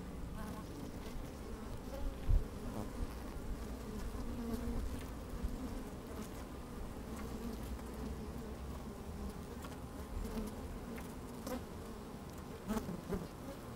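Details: Honey bees working inside an open hive on a fine, sunny day, microphone slid down among them: a dense low droning hum with occasional louder buzzes from passing bees, a little wind and scattered faint clicks.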